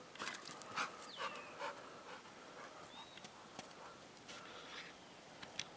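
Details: Pit bull panting outdoors during obedience training: quick breathy pants in uneven bursts, with a few faint whines and distant bird chirps in the background.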